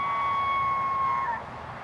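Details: A large bull elk in Canada's Rockies bugles during early rutting season, holding a high, clear whistle steady before it drops away at the end.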